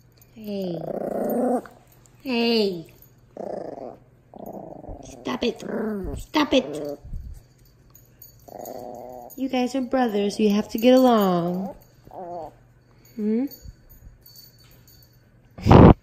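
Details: Indoor meeting of two pet dogs, Tito, a two-month-old Miniature Pinscher puppy, and Jupiter, an 18-month-old Dachshund: bursts of growls and short yelping cries come and go over roughly sixteen seconds, mixed with a person talking in a small room.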